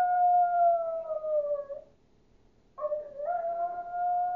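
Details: Chihuahua named Duke giving a wolf-like howl, a loud sustained note gently falling in pitch over two seconds, then silence and a second howl that starts wobbly and rises into a long even tone.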